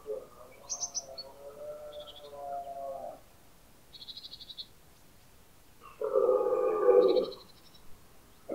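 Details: Early-autumn rut in the Pyrenees, where red deer stags call back and forth: two drawn-out, rasping roars, the second louder and closer, separated by a pause filled with small high bird chirps.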